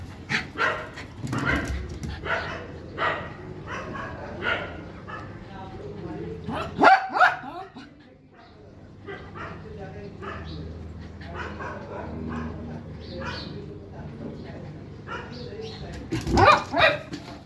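A dog barks in quick, irregular bursts, with people talking nearby.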